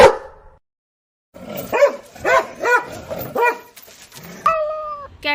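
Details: Dog barking in a short series of four or five sharp, yelping barks about half a second apart, followed by a steady electronic-sounding tone, with music in the background.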